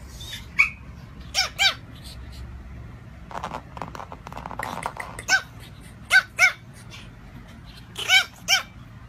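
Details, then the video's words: Tiny dog letting out sharp, high-pitched yaps, mostly in quick pairs spaced a few seconds apart, with a stretch of low murmuring noise between the barks. "Reacting to Tiny Dog Barking!"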